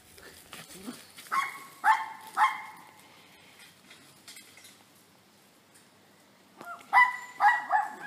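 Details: A little dog at play gives short high yipping barks in two bursts, three near 1.3 to 2.5 seconds and three more near 7 seconds, with a quiet gap between and faint background noise.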